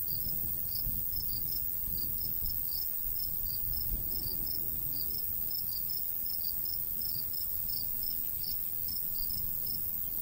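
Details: Summertime countryside crickets by a golden wheat field: rapid, evenly spaced high chirps, several per second, continuing without pause above soft low wind noise.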